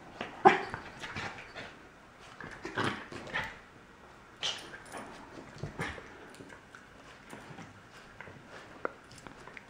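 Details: Male Corgi puppy indoors, unhappy with his new collar: scattered short whimpering and yipping noises with scratching and shuffling sounds in a small room, and a person's voice nearby.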